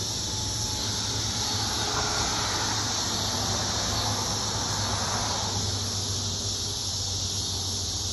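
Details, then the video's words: Illinois cicadas in full chorus, a steady shrill buzzing wash that swells slightly in places, over a faint low hum. "Cicadas in Illinois are crazy"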